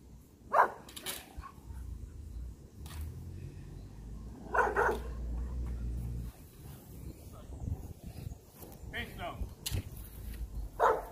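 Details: Rottweiler puppies in a guard-training routine for high-performance guard work; single sharp barks spaced a few seconds apart, with a person talking and low background rumble between them.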